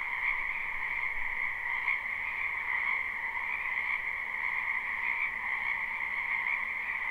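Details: Numerous frogs croaking in a backyard wetland in spring, recorded live; steady pulsing trills blend into one droning chorus, with a few louder individual calls rising briefly above it.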